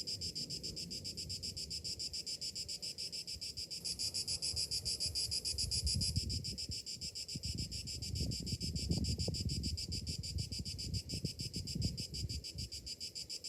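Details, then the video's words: Morning cicadas in summer produce a steady high pulsing drone that briefly brightens and intensifies early on, while a fluctuating low rumble grows louder in the second half. "Morning summer cicadas sounds"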